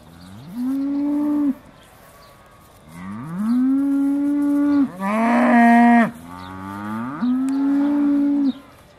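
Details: Aussie Red cows of the Beaulands dairy herd about to be milked, December 2012: four loud moos roughly every two seconds, each rising sharply then held flat, one harsher and noisier than the rest, with quiet barn background.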